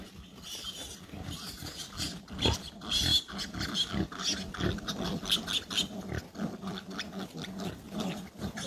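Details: A wild boar mother with her young gives rough, low grunts and snorts in irregular bursts, about one or two each second.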